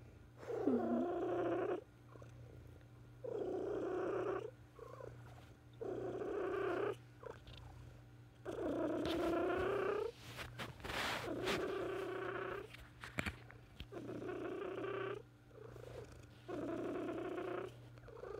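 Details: A sick female pet cat purring close up in 2018, near the end of her life; repeated purr phrases about a second long come in a steady rhythm, with a brief rustling noise midway and a low background hum.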